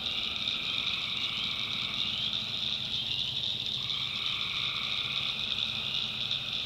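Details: Night swamp chorus of tree frogs in backwoods North Carolina: continuous shrill buzzing trills from many frogs, a lower pulsing hum fading out and returning partway through, with a faint low rumble underneath.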